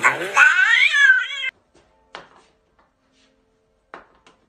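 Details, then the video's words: Angry cat letting out one strained, rising-then-falling meow lasting about a second and a half. Near-silence follows, broken by two brief faint clicks. "Funny Angry Cats And Dogs Compilation Angry Pet Videos"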